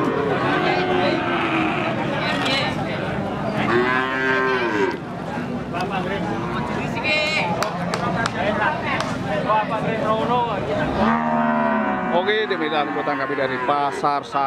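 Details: Female Limousin cattle that has calved once, at the Pon cattle market in Jaken, Pati, Central Java. Long, deep lowing moos rise and fall, two standing out midway and near the end, over steady crowd chatter and busy market noise.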